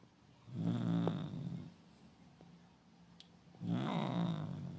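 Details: An angry domestic cat growls in deep, rasping, drawn-out bursts, each over a second long with short pauses between, as a woman sitting beside it quietly tells it not to growl like a dog or get angry.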